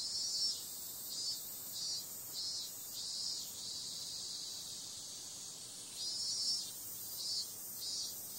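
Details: A nighttime cicada chorus in summer: a continuous shrill buzz with rhythmic swells about twice a second, a smoother stretch in the middle, then the pulsing resumes.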